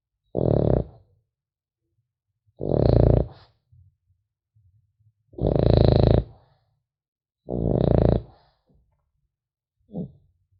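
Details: Sleeping French Bulldog puppy indoors produces four loud, raspy snores every two to two and a half seconds, then a fainter short snort, with faint snuffles in the pauses.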